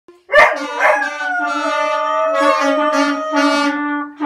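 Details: Dog howling along at Christmas to brass instruments playing Jingle Bells; sustained wavering howls sliding down and back up, with a steady brass note held underneath throughout.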